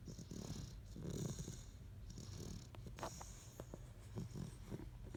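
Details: Great Dane asleep, giving low, rough snoring rumbles at uneven intervals, some longer drawn breaths, over a soft background hiss in a quiet room.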